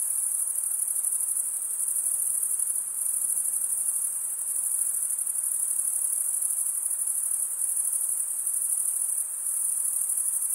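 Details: Continuous high, shrill cricket trilling, made by males running one wing across the comb-like teeth of the other, holds an even pitch and loudness with only slight dips, a faint hiss lying underneath.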